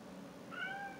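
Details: Short mew from a talkative pet cat, a brief level tone starting halfway through, against faint indoor background hum.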